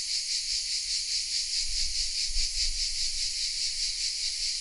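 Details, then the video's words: Chorus of cicadas in oaks around the village of Vézénobres, southern France, captured with a Sony RX10 M3: steady shrill buzzing with a rhythmic throb about two to three times a second, plus soft low-pitched background rumbling. "The sounds of CICADAS😊 : Welcome in the south of France"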